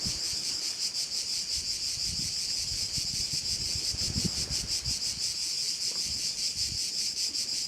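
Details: Crickets on Korčula, Croatia, overlooking a bay: an unbroken high, sizzling drone pulsing rhythmically, roughly three beats per second, over light background rustle.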